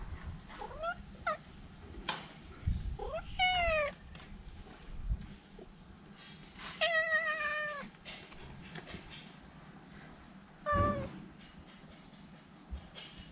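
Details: Chatty stray cat meowing in short bursts: brief rising chirps, a couple of falling mews, then a longer drawn meow near seven seconds and a short one near eleven, over low rumbling background noise.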